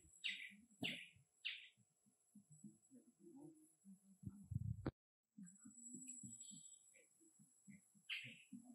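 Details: Orphan monkey Baloo asks for more food: three sharp high squeaks in the first two seconds, one more near the end, with low murmuring human voices and handling noises between them.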